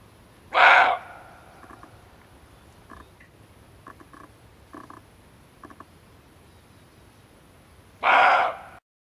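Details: Male barking deer, recorded for use as a hunting lure: two loud, harsh, explosive barks about seven and a half seconds apart, with faint short clicks and taps in the quiet gap between them.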